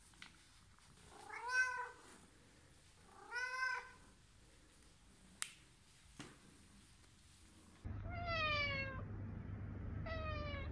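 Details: Domestic cat meowing, used to draw cats in: two arched harmonic meows about two seconds apart, a couple of sharp clicks, then after a cut two brighter, higher meows over a steady low hum.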